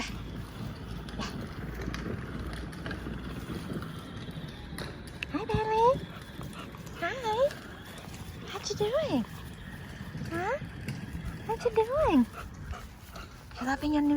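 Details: Golden Retriever puppy playing with his new toy, giving a series of high, rising-and-falling whines and yips in the second half, while a person talks to him throughout.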